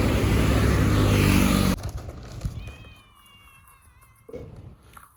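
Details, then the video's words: Stray cats in Pidie Regency, Aceh Province, rushing toward food as a box is rattled: loud rattling for nearly two seconds, then one thin, wavering, high meow, followed by a soft thump and quiet. "The rattling sound of the box makes many stray cats rush towards us"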